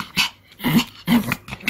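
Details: An indoor ball game with the pet Pomeranian Kim Sarang brings three quick gruff growling pulses in under two seconds, each a low buzzy rumble with hoarse upper tones.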